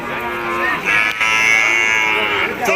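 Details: At a crowded cattle market in Nilphamari, Bangladesh, a cow gives a long, steady, nasal moo lasting nearly two seconds, rich in overtones, amid constant chatter and haggling voices.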